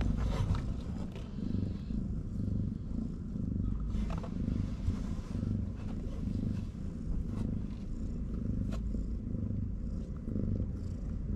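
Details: Homeless mama cat on a Moroccan street, busy feeding her kittens, gives a continuous deep rumbling purr with even, unbroken rhythm and faint background clicks.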